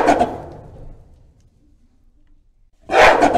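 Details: Gorilla screaming: a harsh, loud, rasping burst fades into silence, then a second equally loud, noisy scream begins abruptly.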